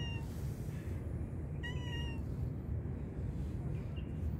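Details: Tabby stray cat in a park, waiting for food: one short, clear, slightly rising meow with bright overtones, preceded by a faint mew, all over a steady low rumble of outdoor noise.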